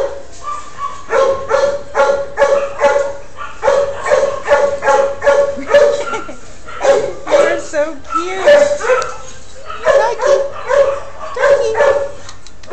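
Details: Shelter dog doing its trick on command and on its own, giving a long run of short tonal yelps, roughly two per second in bursts with brief pauses, while a person's voice chatters encouragingly between them.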